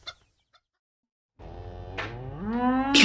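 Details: Cow lowing: after a brief quiet gap, a long harmonic moo rises steadily in pitch for almost two seconds and grows louder toward the end, with some rougher bursts layered on top.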